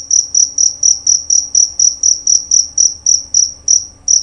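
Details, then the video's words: Male jerabang cricket chirping loudly and clearly, bright high pulses spaced about a quarter second apart, slightly slowing toward the end of the short run. "Bunyi Suara Jangkrik Jerabang Nyaring dan Jernih"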